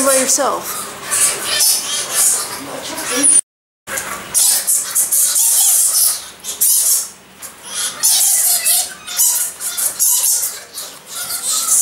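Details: Egyptian fruit bats squabbling with harsh, high squeaks and buzzy chatter, opening with a few lower rising squawks, then steady overlapping shrill calls after a brief gap.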